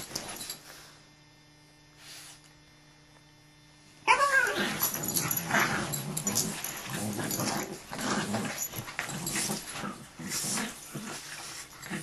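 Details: Dogs fighting: four seconds of near-quiet room hum, then a sudden loud burst of rough growling and snarls that continues unevenly to the end, with scuffling noise between growls.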